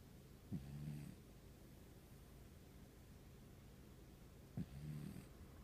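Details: Sleeping cat snoring deeply, two low, soft rasping snores about four seconds apart, each a brief breathy onset followed by a short droning rattle, over quiet room hiss.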